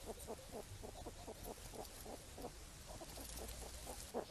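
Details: Wild hedgehogs foraging for apples in falling rain give quiet rapid grunts, short puffing pulses repeating about five times a second over a steady hiss of rain.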